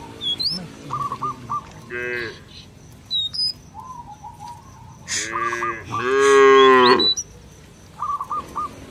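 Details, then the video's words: Cattle roaming a village field, mooing to call companions home to the barn: a loud, drawn-out harmonic moo near the end, shorter moos before it, and small birds chirping and whistling repeatedly in the background. "Suara sapi lembu berkeliaran di ladang memanggil kawan untuk pulang ke kandang - Bunyi Lembu di desa"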